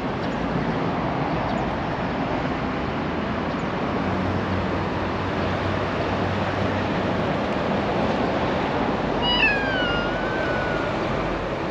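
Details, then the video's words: Black female cat with a tiny tail in Japan asks for affection with a single meow near the end, rising then sliding down, heard against constant loud broadband noise. "Cute black cat meows for affection"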